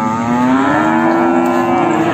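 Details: Large Simmental bull or cow at the Sragen livestock market lowing in one sustained, droning moo that rises slowly in pitch across two seconds, with constant crowd and market noise underneath.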